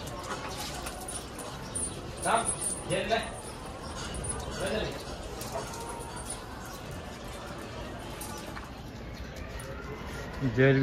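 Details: Dogs having fun at a dog hostel in Jodhpur: a handful of short, bending yelps and whiny yips cluster in the first five seconds. Human voices and a steady background hiss carry on underneath.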